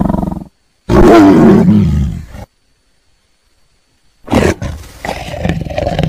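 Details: A tiger gives a loud rasping roar lasting under two seconds, then silence, followed by a second rough growling roar that tails off.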